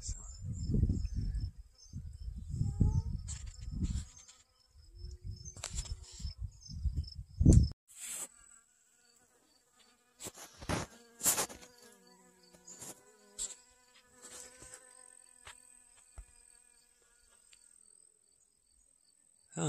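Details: August 25th 2021: honey bees collect pollen from garden sunflowers. Bursts of low rumble open the recording, then a thin, sustained hum with evenly spaced overtones rises and fades through the quieter second half.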